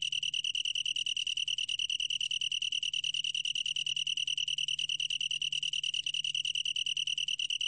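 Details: Long-tailed tree cricket with an unbroken, clear metallic trill at a constant high pitch, finely pulsed and very regular, shimmering overtones layered above it, and a soft low background drone.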